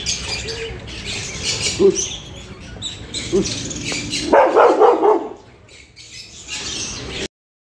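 A Rottweiler gives a few short, deep barks, with a louder burst of barking near the end.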